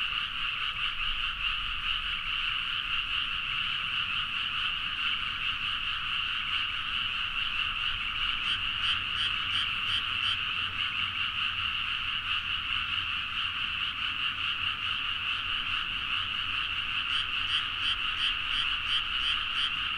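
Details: Frogs calling energetically together at midnight in rice fields, Nagaoka, Niigata, Japan, Zoom H4n; a continuous dense croaking chorus, with bursts of quick rattling pulses around the middle and near the end.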